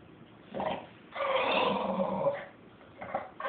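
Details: Victorian Bulldog, a male, having a little conversation with his owner: drawn-out grumbling, moaning vocalizations in two main bursts, the longer one lasting over a second, with a short final grumble and a woman's voice nearby.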